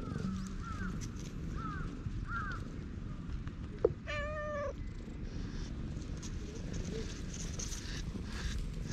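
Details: Stray cat in a park being stroked, purring with pleasure, recorded on a GoPro HERO8: a steady low rumbling purr throughout, one clear drawn-out meow midway, and faint chirps early on.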